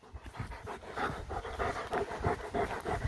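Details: German shepherd panting during a training and play session, a little stubborn that day; quick, rhythmic breaths of about three per second, each a short breathy puff, continuing steadily throughout with no barking.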